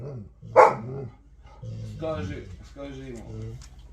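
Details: Vasya the Alabai (Central Asian Shepherd Dog) gives one sharp bark, then low, droning, wavering moans, like a grumbling conversation, heard indoors with human voices around.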